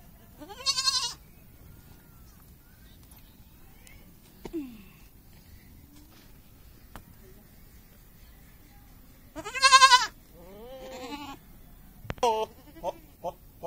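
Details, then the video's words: Goat kids at play, giving two short harmonic bleats near the start and middle with quieter bleats and clicks after, separated by long quiet gaps; laughter heard before. "kid playing with kids (goat kids)।goat funny"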